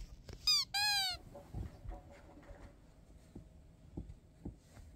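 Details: Roy, a curious pet cat interested in everything its owner does, gives one brief chirp and then a short, clear, high meow that falls slightly at the end. Soft tapping and rustling follow in a quiet space.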